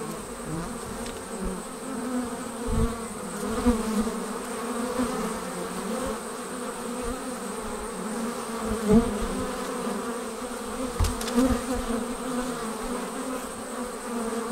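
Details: Swarming honey bees pour out of their hive in a sustained, even hum. Several stacked droning tones hold steady for the whole stretch, with brief clicks and soft low thumps.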